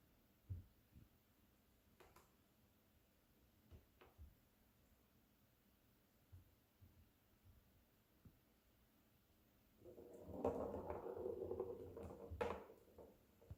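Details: Female cat making herself cough: after a quiet stretch with a few faint clicks, a raspy, breathy hacking burst lasts about three seconds near the end, ending in a sharper final hack.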